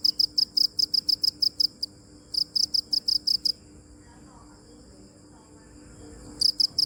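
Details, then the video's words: Cricket chirping in high, sharp pulses, two rhythmic runs of chirps in the first three and a half seconds, followed by a quiet stretch and a final short burst at the end. "Cricket chirping | Crickets sound original | Video Crickets Chirping | សំលេងចង្រិតយំ | សត្វចង្រិតយំ"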